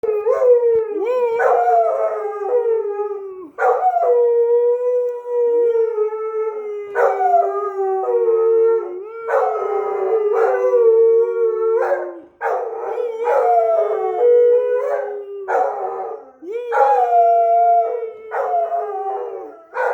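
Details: An Australian Shepherd howls at a passing fire truck carrying the Easter Bunny, in long, wavering, mid-pitched notes with brief pauses between each drawn-out cry.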